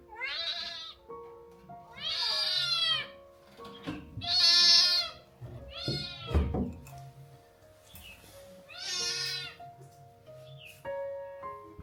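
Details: Several recovered kittens once abandoned in a cold field mew while playing together; loud, bright meows, about five calls of half to one second each, with faint background music and scuffling.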